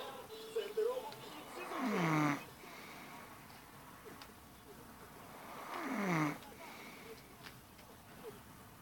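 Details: A sleeping hedgehog snoring on a country estate, smiling as it sleeps. Two drawn-out rasping snores come about four seconds apart, each sliding down into a lower tone, with faint breathing noises between them in a quiet setting.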